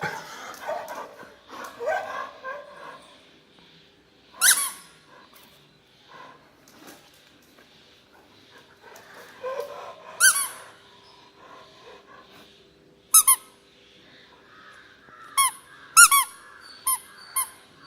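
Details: Black Labrador Retriever at play indoors, giving short high-pitched whines and squeaky yelps in scattered bursts, with a cluster of quick squeaks near the end and soft rustling between.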